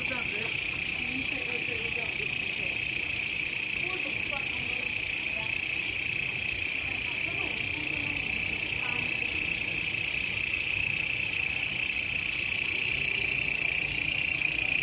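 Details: Shrill, unbroken high-pitched grasshopper buzzing, recorded as a master sound for teaching songbirds. The trill pulses unevenly throughout, with faint low voices murmuring underneath.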